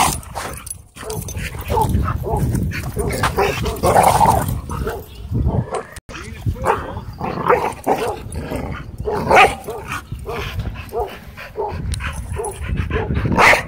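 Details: Several dogs at play in a dog park give a rapid, uneven run of short barks and yips over scuffling and thumping, with people's voices mixed in.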